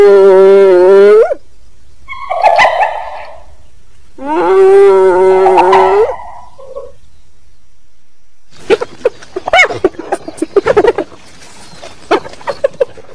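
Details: Two long, rising harmonic whoops from a hyena, each lasting about a second and a half, separated by brief rough calls, then a stretch of scattered clicks and short sharp knocks.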